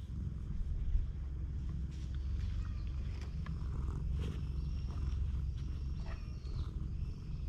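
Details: Low, even purring from a stray cat seeking affection on a cat island, captured on a GoPro HERO8 Black, steady throughout, with light handling noises and faint thin whistles overhead.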